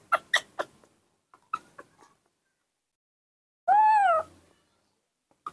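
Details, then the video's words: Nomi the baby monkey fussing impatiently over morning milk: a few quick high squeaks, then a pause and one drawn-out whining cry that rises and falls, followed by a final short squeak. "drinking milk in the morning, the baby monkey Nomi is always impatient and throws a tantrum"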